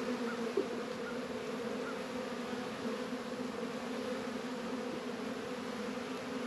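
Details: Colony of honey bees busy at the hive on an unusually warm 72°F winter day in February, northern Kentucky apiary: an even, continuous low buzz layered in two pitches, with a brief tick near the start.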